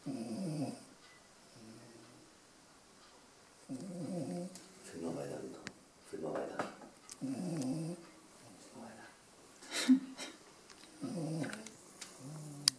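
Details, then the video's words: A sleeping dog snoring indoors, low rasping snores repeating every one to two seconds with quiet gaps, while a person talks softly in German nearby. "schnarchender hund"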